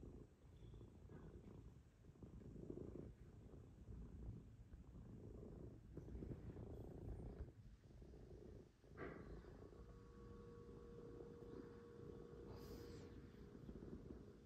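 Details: Cats cuddling on a Sunday morning, purring steadily: a soft, low, unbroken rumble throughout, with a faint sustained tone entering near the end and a few quiet rustles.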